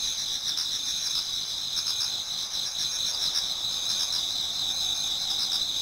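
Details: Autumn insect chorus in a Japanese garden near dawn, many singers together; a continuous shrill double-toned drone with soft rhythmic pulsing trills rising and fading over it.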